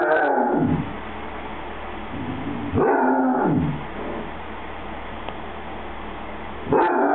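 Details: A happy Basset Hound trying to tell its owner something makes drawn-out, moaning, talk-like vocal sounds with bending pitch. One comes at the start, a second about three seconds in, and a third begins near the end, with quiet room noise between them.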